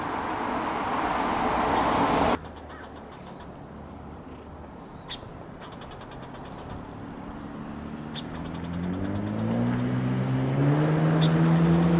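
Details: Road traffic fills the recording, a loud broadband rush that stops abruptly, followed by a steady low engine drone. The engine pitch climbs toward the end as a vehicle speeds up, with a few faint clicks and no animal voice.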